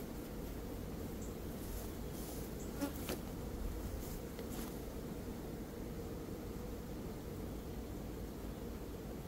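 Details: Continuous low hum of a honey bee swarm during capture, the keeper aiming to take the queen first and shake the remaining bees down in early May; even droning with faint clicks around the third and fifth seconds.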